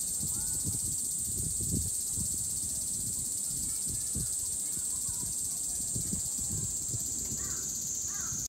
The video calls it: セミの鳴き声